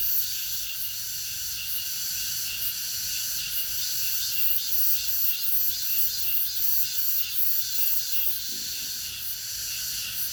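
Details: Cicadas in August fill the air with a continuous, high, shimmering buzz that pulses gently without pause.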